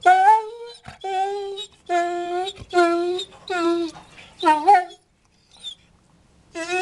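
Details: English Springer Spaniel pleading to be let out and for food: a series of sustained, moaning whines, some rising and wavering, repeated about once a second, then a short quiet spell before another whine.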